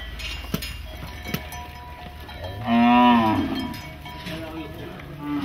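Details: Cattle freed from goshala shelters on the outskirts of Nagpur, India, rushing through the streets; one loud, drawn-out harmonic moo lasting about a second, with cowbells clinking and ringing throughout.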